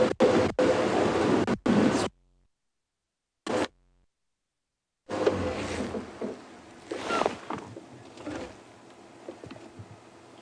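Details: Broadband bursts of handling and vehicle noise, broken by brief silences, give way to a low rumbling outdoor background with faint scrapes and possible murmured speech.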